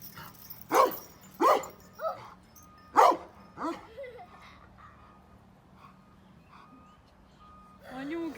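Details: A beloved pet dog, tied to grandfather's farm, barks in loud bursts, two quickly paired, then a pause and another, followed by softer yips, while children talk in Turkish.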